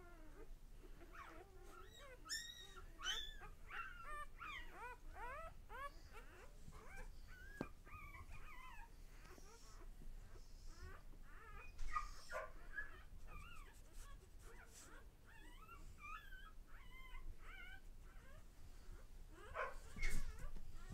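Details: Day-old pups from Lexa's litter keep up dense chirping squeaks and whines, rapid arched notes in clusters, with occasional louder cries and soft bumps of movement.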